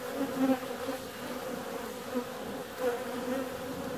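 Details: On a warm February day a honey bee flies out, giving a constant humming buzz that rises in loudness near the start and again close to three seconds as it comes nearer.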